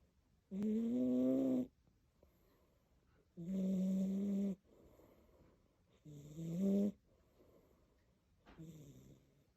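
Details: Large, heavy domestic cat snoring loudly while asleep: drawn-out, droning, nasal tones about a second long, each followed by a quiet breathy pause, four snores over roughly ten seconds.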